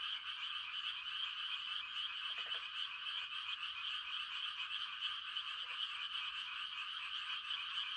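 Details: Frogs giving mating calls on a quiet country night during rice-planting season: a dense, unbroken shimmering chorus of high trills, with a few brief lower croaks breaking through now and then.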